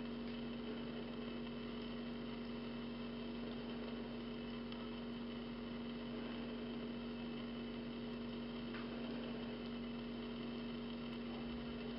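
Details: An idling engine drones throughout with strong steady tonal hum and dense background noise, and no animal voice stands out.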